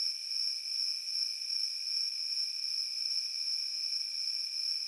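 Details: An unbroken cricket chorus rises from a field as a high, even whine over a quieter lower hum, with slight ripples in loudness and no birds, wind or voices.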